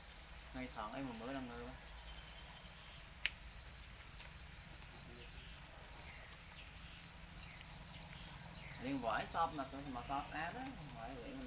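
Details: Domesticated para crickets, also called black crickets, form a steady high, rapidly pulsed trilling chorus that runs throughout, with people talking over it near the start and again toward the end.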